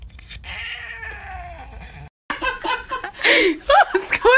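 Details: Domestic cat from a cute-animal compilation giving a long, drawn-out wavering yowl for about two seconds. After a brief silence come loud human voices and laughter, with short rising and falling sounds mixed in.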